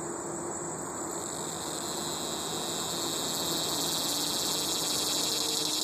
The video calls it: Buzzing Cicada